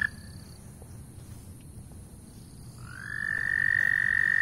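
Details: Loud frogs calling: quiet low background rumble for about three seconds, then a high, steady, ringing trill rises in and holds to the end, growing louder.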